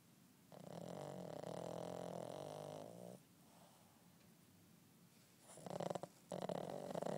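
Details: Eight-month-old Boston terrier puppy snoring while napping indoors: a long raspy, buzzing inhale of about two and a half seconds, a quiet pause, then a second rougher snore starting near the end.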